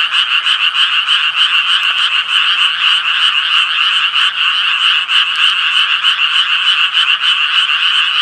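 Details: A thick chorus of Japanese tree frogs, harsh nasal croaks overlapping into a continuous buzzing wall, beating roughly three times a second with slightly uneven rhythm.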